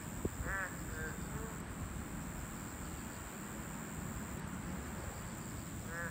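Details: Boreal digging frog at its habitat, a Class II protected species: a few short, nasal, harmonic calls near the start and one at the end, with long quiet gaps, over low rumbling background noise and a steady high-pitched whine.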